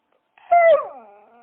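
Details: Single short dog whine: a clear, tonal cry held briefly, then sliding downward and fading into a soft, trailing tail.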